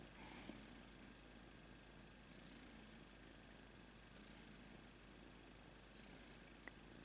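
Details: Rudolph the red-nosed kitten purrs quietly and continuously in a small room, a low even rumble with periodic faint hissy surges every couple of seconds, no speech over it.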